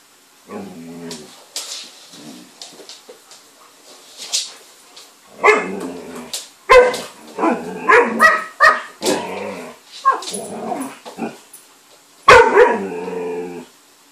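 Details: Alaskan malamute picking on another dog: an irregular series of short barks, yips and whiny cries over about fourteen seconds, quieter at first, then louder and denser, with a final loud burst near the end.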